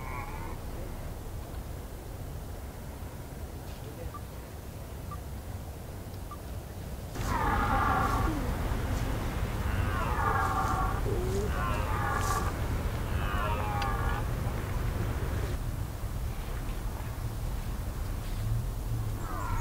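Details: Red deer called Lambertus at a rut spot on the Veluwe, a still-quiet field with an occasional distant roar. Steady background hiss, then a run of arched, harmonic moaning calls repeating roughly every second, fading again toward the end.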